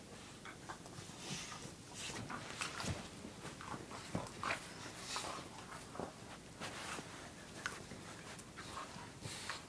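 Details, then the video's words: Two pet dogs playing indoors with toys, five-year-old Mocha and eight-month-old Nessie, in a small room: scuffling and rustling bursts, soft whimpers and snuffly noises scattered throughout, with faint human voice in the background. "Mocha plays with Nessie2"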